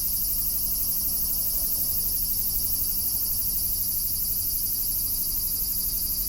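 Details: Cicadas droning in a steady, high-pitched shimmering buzz with a fast pulsing texture, unbroken throughout, over a low rumbling hum.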